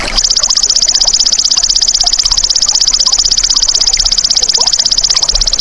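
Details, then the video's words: Belalang emas (golden grasshopper) played as a masteran for songbirds: a continuous, shrill, high-pitched trill of rapid, evenly pulsed chirps fills the whole stretch, with faint rustling and small clicks underneath. "MASTERAN BELALANG EMAS"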